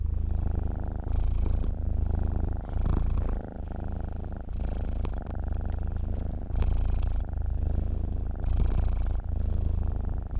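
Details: Purring of a dozing cat: a soft, thrumming rumble that never stops, pulsing with its breathing in cycles of roughly two seconds. Nothing else is heard apart from faint incidental clicks.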